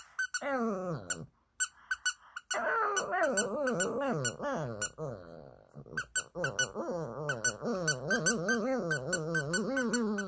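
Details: A Shih Tzu "sings" sadly in response to a doll's squeaky sound, howling in long, wavering, mournful notes that rise and fall, with squeaky toy sounds between; recorded 8 June 2022.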